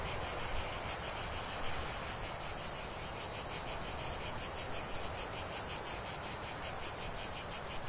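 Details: Cicadas singing in a lavender field: a dense, shrill, buzzy chorus that pulses about three times per second and holds steady throughout, with a faint low rumble underneath.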